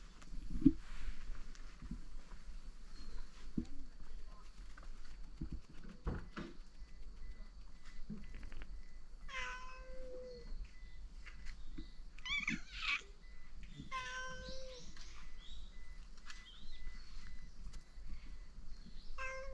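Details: Cats on Tashiro Island, the cat island in Ishinomaki, Miyagi, Japan, in 2023, crowd around their returning caretaker expecting dinner, a toddling kitten among the adults; several drawn-out meows cluster midway, over low outdoor rumble and faint clatter.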